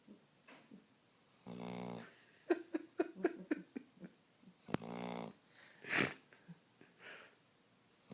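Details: Sleeping dog snoring indoors: two long, buzzy, low snores a few seconds apart, with soft breathing, sniffs and small clicking noises in between.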